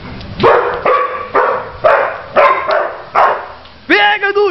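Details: Pit bull matched against a poodle gives a run of steady, hoarse barks about every half second, followed by a higher, drawn-out whining yelp at the close; people's voices mix in.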